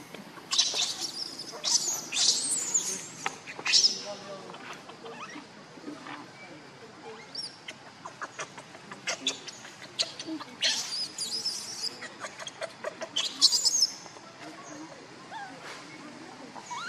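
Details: Baby monkey Lucie cries, hungry for milk. High, shrill squealing cries come in bursts around the first four seconds and again between ten and fourteen seconds, mixed with clicking and rustling noises.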